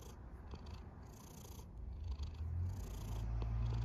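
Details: Sleeping cat snoring, a low, rough rumble that grows louder and deeper toward the end, with faint airy breaths above it.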